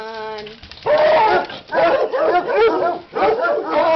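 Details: A thin, steady whine opens, then loud clustered barking bursts from dogs excited over a leg of lamb slow-cooking in a crockpot at Christmas, coming in three intense waves.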